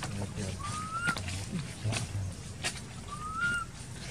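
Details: Crying baby female monkey in an archaeological park, left uncared for by her mother, gives two drawn-out whistled cries that glide upward, about two and a half seconds apart, over low rumbling background noise and faint voices.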